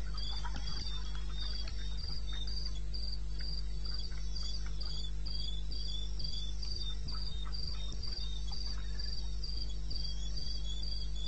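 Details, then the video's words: Night chorus of crickets in eastern Botswana wilderness at 2:30 a.m. on 21 May '16: rapid, regular high-pitched pulses, roughly four per second, above a constant deep hum, with scattered soft clicks and ticks. "1 Hour cricket sound"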